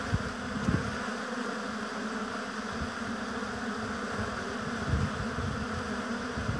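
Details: Honey bees working at a hive in an apiary give a constant buzzing drone. Several bees pass close to the microphone, adding short louder whirrs, with light low rumbling underneath.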